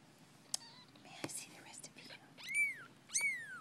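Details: Persian kittens, ten days old, give two clear, high mews in a quiet room. Each arches up and then slides down, about half a second apart, after soft whispering and a few clicks.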